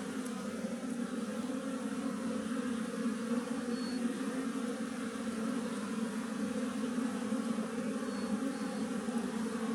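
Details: Wild western honey bees, Apis mellifera, living as a colony in a tree: a dense, steady hum of many wings with strong low tones, holding even from start to end with no breaks.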